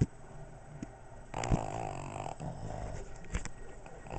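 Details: Pug and Boston Terrier asleep, snoring: a rough, rattling, wheezy snore swells after a short pause and runs on with snorty breaths.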